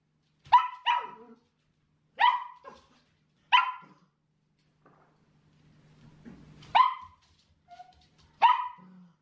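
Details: Demand barking from Chelsea, a female Shetland Sheepdog puppy aged seven months, during headcollar training at home: six loud, sharp barks, some paired, spaced one to two seconds apart, with a faint rustle and a brief pause midway.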